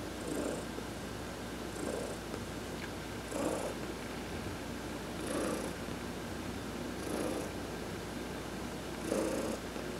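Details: Sunbathing adopted cat Heidi gets a massage, November 19, 2020; an even, rumbling purr repeats in breathy swells about every two seconds over a quiet indoor background.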